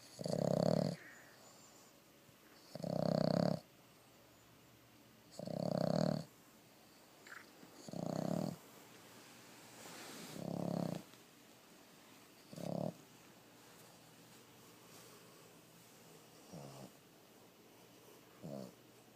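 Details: A female Boston terrier pug cross sleeps with her eyes open and snores in low, rasping breaths that come about every two and a half seconds.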